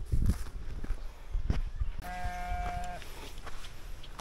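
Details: A domestic goat kept by a beginner raiser gives one steady, nasal bleat of about a second, held level in pitch, between dull thumps and rustling outdoors.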